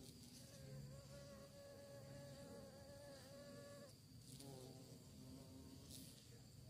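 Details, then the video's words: Bees searching for prey: a loud buzzing drone, shifting in pitch as one flies past, then dropping and returning softer, over a low steady rumble. "Lebah Mencari Mangsa, Suara Lebah"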